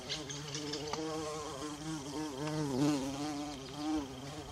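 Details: Bumblebee droning among wild violas in a forest, a low, throaty buzz whose pitch sags and recovers in slow waves, growing louder toward the middle and final second.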